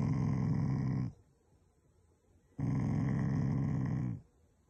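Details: Shiba Inu family dog growling affectionately at its owners rather than in anger: two long, deep, rumbling growls, one lasting about a second and the other about one and a half seconds, separated by a quiet pause.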